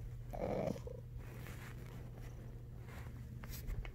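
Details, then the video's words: Knives the cat waking up gives one brief, nasal, mid-pitched chirp-like sound, then quiet breathing with faint rustles against a low steady hum. "Knives the cat snores and wakes up"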